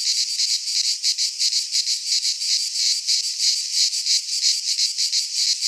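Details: In a pine forest in Greece during midsummer, cicadas produce a high, rasping buzz throbbing in fairly regular pulses near three per second, continuous and dominating, nothing else audible.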